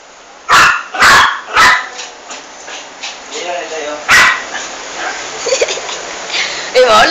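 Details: Aggressive female toy poodle in a bathroom, killing a big rat: three quick sharp barks open, a fourth follows a few seconds later, with wavering human speech between them and a rising yelp at the close.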